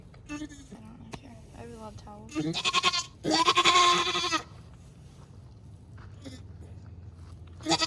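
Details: Nigerian Dwarf dairy doe in labour during her first kidding, delivering twins on a Northern California farm; a long, loud, harmonic, wavering bleat with a shorter cry just before, mixed with people talking nearby.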